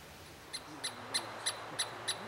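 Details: Douglas squirrel, also known as Chickaree or Pine Squirrel, of the Pacific Northwest: six sharp, high, clicky chips spaced evenly about a third of a second apart over quiet background hiss.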